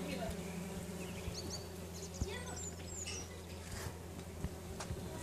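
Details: Bumblebees swarming a tree in a back garden in summer make a steady low droning buzz, with bird chirps and whistles above and a few soft knocks.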